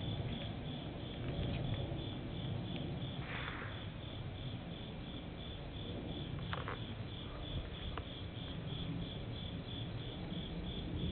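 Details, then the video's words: Insects calling on a summer night at a temple in Japan: a steady, high, pulsed chirping repeated about three times per second, over a low rumbling background with a few faint clicks. "Nighttime Temple Insect and Airplane Sounds Etc 夏の夜 虫の音"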